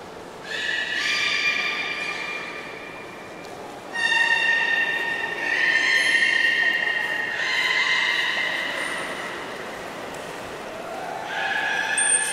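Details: Port of Nagoya Public Aquarium belugas on 11 August 2018, mid pool move as keepers tried and failed to swap Nana and Hodoi; a run of sustained harmonic squeals and whinnies, several overlapping, loud at about four and six seconds.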